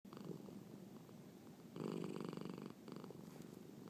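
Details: Marnie the cat purring loudly indoors while having a hiccup; a low rumbling purr swells into one loud, buzzing phase lasting about a second before easing back to a softer rumble.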